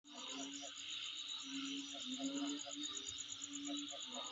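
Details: Insects calling at a home setting: a steady, dense high-pitched buzzing drone runs throughout with a fast, even pulsing ticking above it, while lower short hooting tones recur irregularly underneath.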